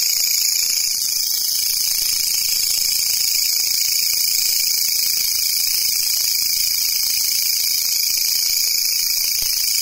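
Grasshopper stridulation fills the air as a dense, high-pitched hiss, shimmering on several bright tones at once. It holds almost unchanged from start to finish, with no other clear sounds.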